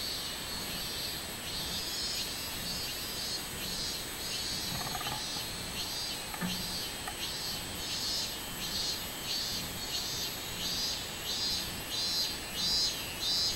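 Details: Robust cicada on 24 July 2016 delivering its pulsing song, shrill high bursts repeated roughly one and a half times per second, strengthening toward the end, with a steady background whine and faint distant noises.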